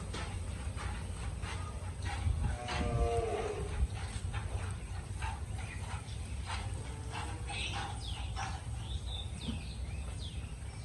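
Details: Cow about to give birth shortly, recorded 26 July 2024; one short low moo with a slight downward bend near the three-second mark, over steady background hum and scattered clicks.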